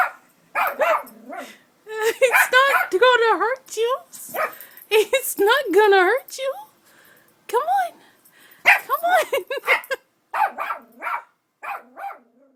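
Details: Pet dog barking repeatedly while a woman coaxes it to come, saying it will not be hurt; bursts of high, rising-falling barks and yelps come in quick clusters with pauses, her talk between them.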